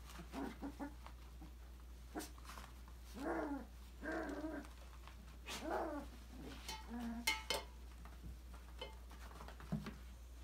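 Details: Five-week-old Australian Labradoodle puppies from a December 2020 litter playing and exploring in an indoor enrichment playground; several short yips and whiny barks with rising-falling tone, scattered among soft scuffling and clatter, steady low hum behind.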